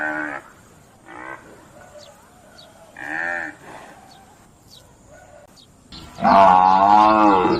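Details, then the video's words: Buffalo on a farm calling: three short, hoarse, harmonic grunting calls spaced about a second or two apart, followed after a pause by a long, loud, wavering moo-like bellow that ends the recording. "Buffalo Sounds"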